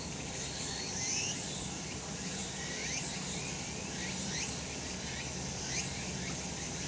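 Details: Summer mountain in the sun, cicadas singing: a continuous high buzzing drone, crossed by short rising sweeps that repeat about once a second, over a constant low background hum.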